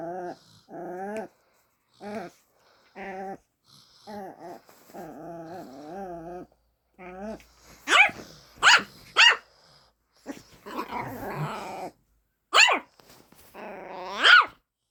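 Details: Pet dog barking at another dog for the first time: after stretches of a person talking, sharp, high barks ring out singly and in quick pairs over the last half, roughly five in all, with voices between.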